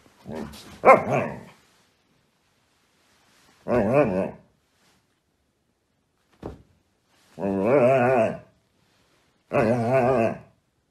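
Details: Siberian Husky acting the drama queen: a series of wavering, grumbling, talking-style calls about one second long, each with a shaky, quavering pitch, coming in bursts two to three seconds apart with silent gaps between them.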